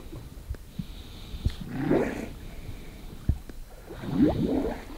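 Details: A harp seal pup gives two low, throaty rumbles, breathy and gurgling, a couple of seconds apart, while waiting for its mother, who has dived into the sea.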